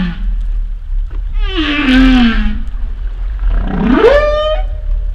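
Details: Humpback whale vocalizations: a low moan sliding gently downward, then a pause and a strong upsweep rising from a low growl into a high, harmonic-rich whistled note that levels off. Steady low underwater rumble beneath.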